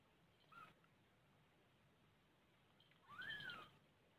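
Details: Domestic mother cat beside her kittens, giving a short faint call followed by a louder rising-then-falling meow lasting about half a second, in a quiet indoor room.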